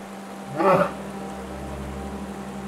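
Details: A brown bear cub, likely a first-year cub, gives a single loud, harsh bawling cry, apparently calling to locate its mother.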